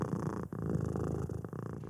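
A domestic cat purrs, a steady low rumble pulsing rapidly with each breath.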